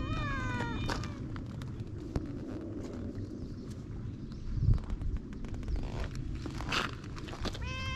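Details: Feral cats on a cat island, filmed outdoors with a GoPro: a falling, harmonic meow at the start and another near the end, under a heavy low rumble of wind or handling noise and scattered clicks.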